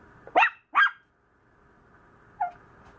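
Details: Fussy young Maltese lets out two quick, piercing yaps in rapid succession, then a softer, lower yelp after a short pause, against a quiet indoor background.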